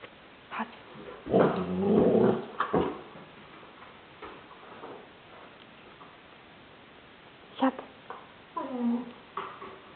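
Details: Border Collie named Stroszek, 15 months old, playing at home and prompted to speak: a harsh, harmonic bark-growl burst near two seconds, brief yelps later, then a wavering rising-falling whine, with spoken commands in a small room.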